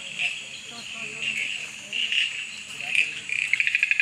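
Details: Male Amboli bush frog calling from under a bush at night after darkness fell, Goa, 23 August 2013; bushes full of similar callers. High chirping notes around the same pitch, ending in a fast run of clicky pulses.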